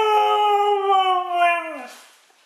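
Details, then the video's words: Female Siberian husky indoors, howling back while her owner talks to her: one long clear tone held steady for almost two seconds, sagging slightly and then dropping away at the end, with rich stacked overtones. "Conversation with a Talking Siberian Husky"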